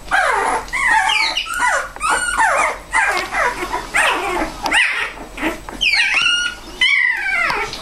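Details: Puppies with their mother, Bella. A dense run of high whining yelps, many sliding downward and some rising, overlaps almost without pause, as if several pups are calling at once.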